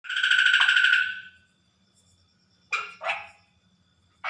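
A water frog gives a long, rasping, pulsed croak at night, then several short, sharp croaks.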